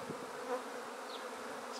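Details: Short burst of a honey bee swarm in a swarm basket, taken from a tree, bees fanning with the queen inside; even, dense humming drone without pauses.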